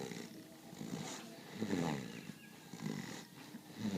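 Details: Sleeping goat snoring: low, raspy, throaty snores rising and falling in short bursts about every second, over a quiet background hiss.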